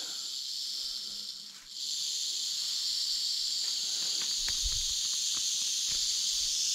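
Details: Timber rattlesnake, one of two big snakes found close together in an overgrown field, crawling through the grass: a steady, dry, high-pitched hissing buzz of rattling that sags briefly near the two-second mark, with soft footsteps and rustling grass.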